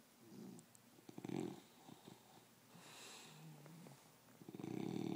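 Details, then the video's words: An English bulldog wearing a cone on its head snores in low, rattling, fluttering bursts with quiet breathing between them. "Snoring english bulldog"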